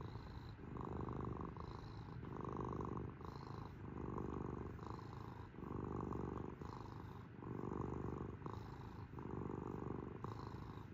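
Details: Cat's low, grainy purr alternating between stronger and softer phases as it breathes in and out, about one cycle every one and a half seconds, steady and close.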